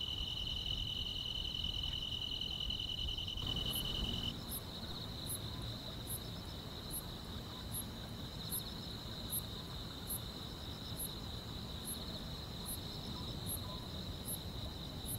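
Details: Grass insects on a summer night in the countryside: a dense, steady high trill. A piercing continuous tone fades after four seconds, while faint ticking pulses repeat about every second above. Soft low rumble underneath.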